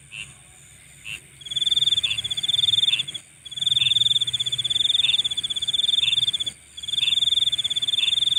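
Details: Insects at night: a loud, high, finely pulsed trill running in bursts of one to two seconds with brief silent gaps, over short repeated chirps from another caller and a steady, very high shimmering drone.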